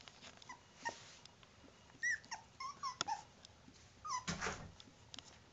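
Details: A female dog gives a series of short, high, sliding whimpers and squeaks, mostly brief yelps that rise and fall, spaced irregularly over a few seconds indoors, with soft rustling and a burst of noise near the end.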